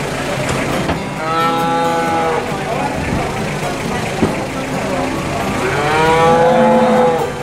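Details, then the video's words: Cattle at the bustling Boyolali cattle market. Two long, rich moos swell and fade, one early and one near the end, over continuous crowd noise, voices and a passing vehicle rumble. "Suara hewan sapi di pasar"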